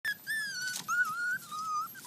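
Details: Purebred Miniature Schnauzer puppies on their first time ever outside, giving a high, drawn-out whistling whine that wavers slightly, broken into three long notes.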